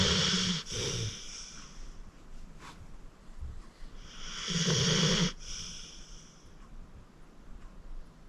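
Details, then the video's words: Fourteen-year-old pit bull Acorn, a deep sleeper rescued from the Cuyahoga County Animal Shelter, snoring at rest; two hoarse, drawn-out snores about four seconds apart, each ending in a snorting break, with soft breathing in between. "Acorn Sleeping - Relax with a Snoring Senior Dog"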